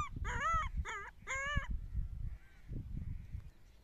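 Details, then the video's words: Puppies playing with each other: a few high, wavering whines and squeals in the first two seconds, each with stacked bright overtones, then quieter faint calls over low rumbling background noise. "Dog's kids are playing with each other"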